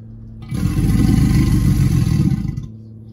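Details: American alligator giving one deep, rumbling bellow that lasts about two seconds, a broad, low, vibrating roar that starts abruptly and fades out.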